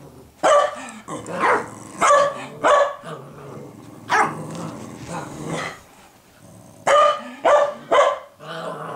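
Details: Two pet dogs, Cooper and Sophie, bark back and forth on 12 6 2014 as Sophie teaches Cooper to be a guard dog; about nine loud, harsh barks come in uneven bursts, some doubled, over a quiet indoor background.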